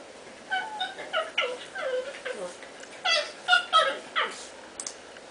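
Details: Cats wrestling in play indoors, with repeated short falling mews and squeaky yowls in bursts, louder clusters near the middle and end, amid soft scuffling sounds.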